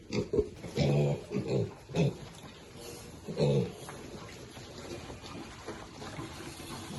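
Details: Piglets grunting as they eat: a burst of short, low, harmonic grunts in the first two seconds and another near the middle, then quieter snuffling and munching with faint human voices behind.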